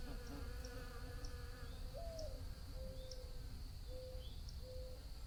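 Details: Low humming of bees with short gliding buzzes as one approaches and leaves, against a steady high whine and soft ticking sounds.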